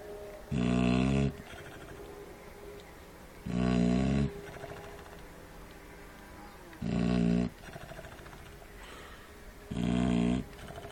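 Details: Shar Pei puppy snoring during feeding, four strong guttural snore bursts spaced roughly three seconds apart, each about three-quarters of a second long, with soft breathing between.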